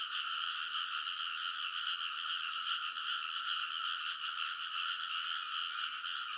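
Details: Midnight in early summer beside a rice paddy in Konosu, Saitama Prefecture, Japan: many frogs call together in a continuous, even chorus of rapid overlapping croaks, a constant buzzing rattle that never pauses.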